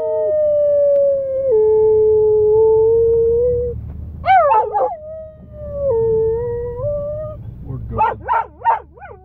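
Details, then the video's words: Dog howling like a coyote: long smooth sustained howls that hold steady then dip and rise, a brief sharp yelping break, and a closing run of quavering wavering yips. "My awesome dog howls like a coyote"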